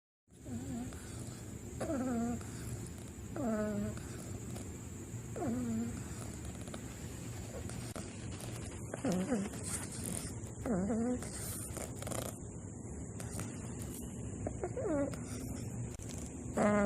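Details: Bulldog puppy Wakoo snoring in sleep: soft, nasal, harmonic breaths with a slight upward bend, repeating roughly every one and a half to two seconds, fairly faint, over a steady high electronic whine and low hum.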